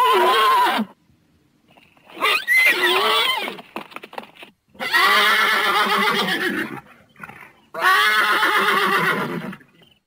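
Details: Thoroughbred horse giving loud, repeated whinnies: four shaky, strongly harmonic neighs of about one to two seconds each, with short pauses between them and a faint clatter in one gap.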